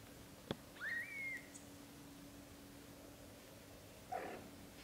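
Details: British Shorthair kitten dreaming in its mother's arms indoors while its brothers nurse; one short, thin, rising-then-level mew, followed by a soft brief murmur a few seconds later over a quiet room hum.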